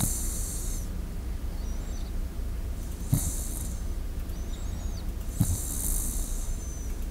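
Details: Shiba Inu asleep in front of a close microphone, two hissing breaths about three seconds apart with faint low snorts over a constant low rumble.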